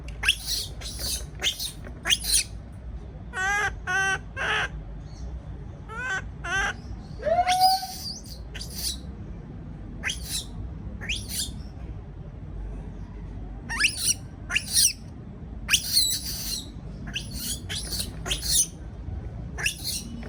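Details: Baby monkey left by itself in a cage calls out in fear: rapid series of shrill screeches, trembling stepped squeals and one drawn-out whine, repeated throughout over a low hum.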